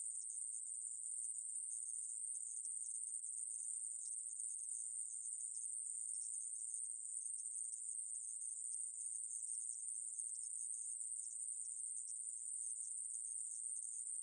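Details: Steady high-pitched insect buzz from an aemaebuli grasshopper, 2020 recording. It runs without pause for the whole stretch as a thin, sizzling drone at constant pitch and loudness, with nothing else audible.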